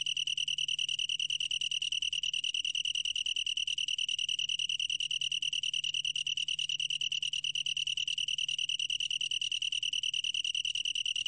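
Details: Sustained chirping trill of a long-tailed tree cricket, clear high pitch and quick even pulses repeated nonstop, faint low background hum; recorded in 2020 for the National Institute of Biological Resources.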